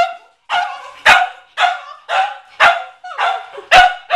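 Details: Pet Cavalier King Charles Spaniel McCartney barking at a watermelon in the family garage; seven loud, ringing barks spaced about half a second apart, each with a brief trailing tail.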